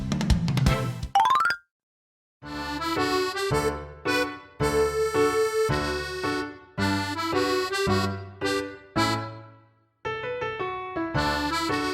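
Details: Bouncy instrumental music with accordion-like tones and a quick upward glissando near the start, broken by short silences; no animal voice.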